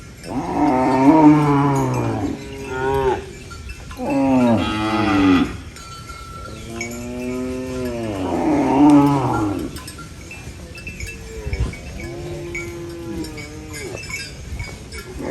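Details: Countryside cow eating banana leaves moos repeatedly: four loud, rich bellows with wavering pitch over the first ten seconds, then softer, lower drawn-out moos, with a light metallic ringing throughout.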